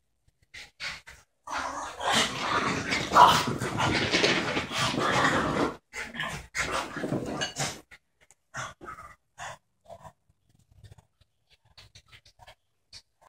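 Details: Two dogs playing together, a 12-month-old female border terrier who bares her teeth to look fierce and a French bulldog of about four; rough, breathy growling and panting bursts in a dense stretch, then scattered short snorts and huffs.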